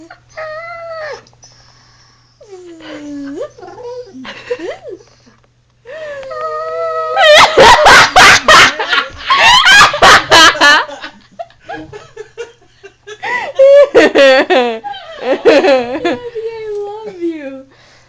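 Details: Abby, a female pet dog in a small room, protests being buzzed at with loud, varied whines and yowling howls, sliding up and down, broken by bursts of sharp, rapid, noisy sounds; some human voice mixed in.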